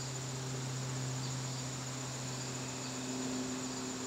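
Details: A September evening in a garden: a thin, continuous high cricket trill runs throughout. It sits over prominent steady low-pitched humming tones, probably mechanical.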